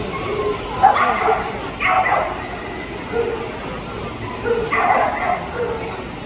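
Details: Keeshond at Best of Breed judging, Rubber City Kennel Club dog show, Tallmadge, 01/09/2022; three short, sharp barks ring out in separate bursts, roughly a second apart then a pause of about three seconds, over a steady murmur of indoor crowd chatter.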